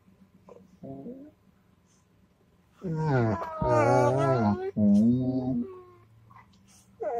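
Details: Dog 'talking' in long, wavering, voice-like moans. A faint early whine leads into a loud two-part howling vocalization lasting about three seconds, with a quick pause in the middle.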